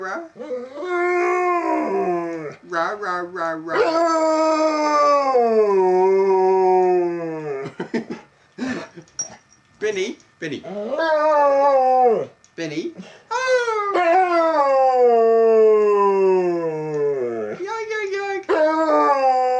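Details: Pet dog at home howling when urged on by a person chanting "ra ra ra"; long wavering howls that slide downward, alternating with the person's short coaxing calls and gaps.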